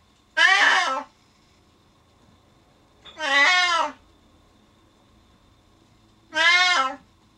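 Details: Loud, insistent meowing from a male Siamese cat shut behind a door indoors after the person he follows goes downstairs; three drawn-out, strongly harmonic meows spaced about three seconds apart in a quiet room.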